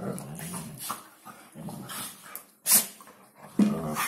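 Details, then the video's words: Hungarian Vizsla from a kennel at New Year, talking: low grumbling moans with short yips and a sharp high squeal near the end, uneven rhythm, indoors. "Hungarian vizsla new year's talk."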